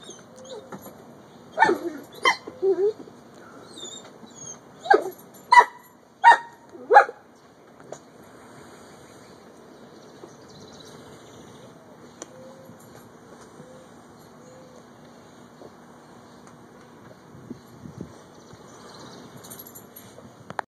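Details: Four-year-old pet Dobermann at play with 9-week-old puppies: a burst of sharp, short barks and high yips crowds the first seven seconds, then the room goes quiet apart from faint soft whines and a low steady hum.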